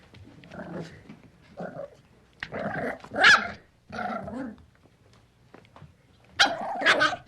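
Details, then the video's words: Young puppy giving a few separate rough growls, each under a second long. A louder, harsher snarling burst comes near the middle and another near the end, with quiet gaps between. "Baby puppy growls. The sound of a puppy growling"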